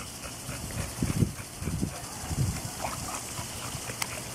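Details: Auggie, a pet dog, in his pool on a hot day: three short, low, gruff bursts of grunting or soft woofing within about a second and a half, then quieter murmurs, over a steady background of water and outdoor noise.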